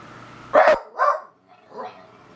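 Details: Daisy, a beagle confronting a stink bug, gives one sharp bark followed by two softer, falling woofs within about two seconds.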